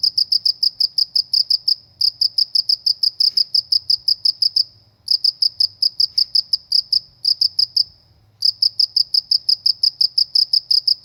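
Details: High, pulsing cricket chirps in the countryside, delivered in bursts of rapid beats about three per second, broken by several short pauses; faint low background hum.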